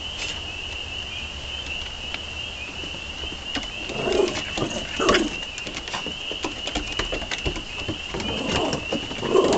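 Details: Spring peepers in a dense chorus, a steady high peeping drone that runs unbroken throughout, overlaid by scattered low thumps and rumbling handling noises that grow busier toward the end.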